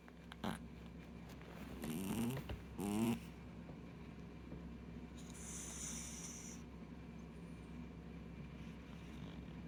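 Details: Goro, an older pet cat, snoring at rest in a shortened take of a snore that is usually far louder; two rough, rasping breath bursts around the middle, then a quiet steady hum and a soft hiss.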